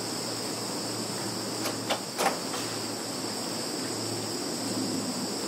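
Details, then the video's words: Insects calling in a Russian field, Zhukovsky district, September 2019: constant high, even trilling drone, interrupted by a few sharp knocking clicks in the second second, over a low steady hum. "Sounds of insects in field"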